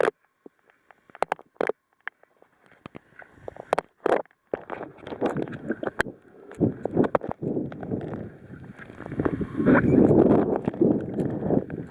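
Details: Sharp knocks and bumps open the recording, then a broad rumbling wash of water, wind and engine-like noise takes over. No clear animal call stands out.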